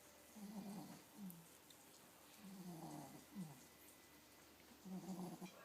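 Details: Pixie the min pin, nine weeks pregnant, snores steadily. Rough, vibrating draws of breath come roughly every two seconds, each trailing into a short nasal puff.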